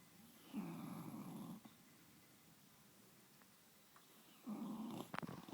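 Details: Sleeping English bulldog snoring on a bed: two coarse, rattling snore bursts about four seconds apart, each near a second long, separated by quiet breathing, indoors.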